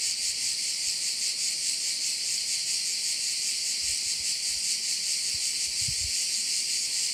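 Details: High, sizzling insect chorus of crickets over a bay on Korčula, Croatia, steadily pulsing, with a few faint low knocks toward the end.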